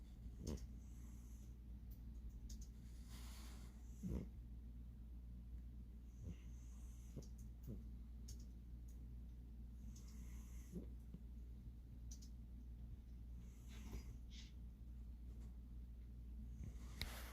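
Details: Domestic cat asleep while cuddling a stuffed fish, snoring with a low, steady rumbling breath and soft wheezy snorts every second or two, recorded indoors with faint background hum.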